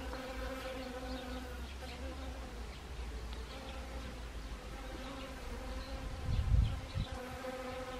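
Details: Honeybees at blooming Siberian chrysanthemums on an autumn day in Gangwon Province, South Korea, 1 October 2020; a continuous low, even buzzing from several bees, with a brief dull thump near the end.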